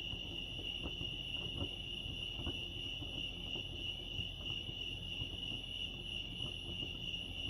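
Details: Crickets chirping at Lake Arrowhead, California: a steady, high-pitched pulsing trill that runs without a break, over a low rumbling background with scattered soft clicks.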